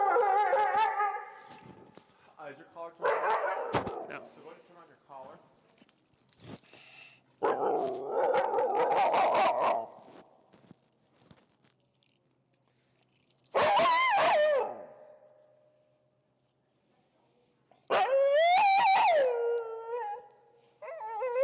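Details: Finnegan, an extremely vocal feral husky in Chicago heel training, protesting a behavior under teaching pressure: long, wavering, yodel-like howls in two loud bursts, preceded by scattered noises and a long quiet gap.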